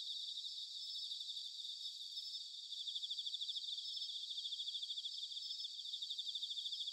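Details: Bell crickets in an autumn night chorus at Sanuki, Chiba, Japan, heard more distantly: a dense, even high-pitched ringing with quick regular pulses throughout, several insects overlapping in a soft, continuous shimmer.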